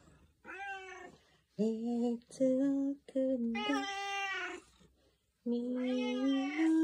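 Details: Tuxedo cat answering a morning greeting with a lively singing voice indoors: drawn-out tonal meows on steady held pitches, several in a row with short pauses between, some rising at the end.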